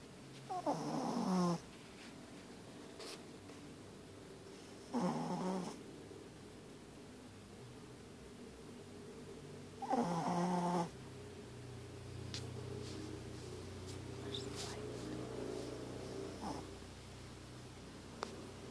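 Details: Dog snoring loudly, eyes open: three rough rattling snores roughly every four to five seconds, each about a second long, with a steady low hum and a few faint clicks between them indoors.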